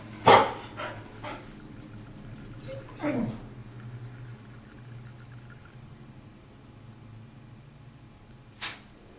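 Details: Belle, a pet dog who dislikes being wet, in her routine after every bath: one sharp bark at the start, a few softer yips and a rougher vocal burst near three seconds, then quiet indoor room tone and a final short noise.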